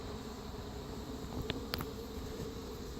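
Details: Feral honey bee colony with Africanized genes, defensive when approached, during queen installation: a continuous low droning buzz with a few quick clicks and taps from work at the hive.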